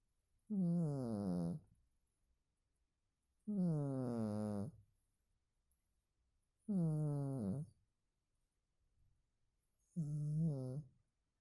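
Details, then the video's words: Domestic cat snoring in its sleep, four rough, resonant low snores, each about a second long, coming regularly roughly every three seconds with quiet breathing gaps between. "Кот храпит во сне"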